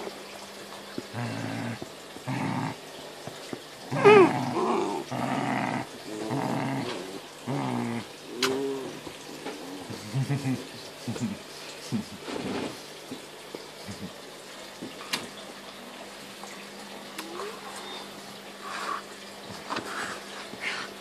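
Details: Great Dane puppies, offspring of Homer and Ula, growling during play indoors: rough, low rumbling growls in short bursts over the first eight seconds, then scattered softer sounds and a few sharp knocks.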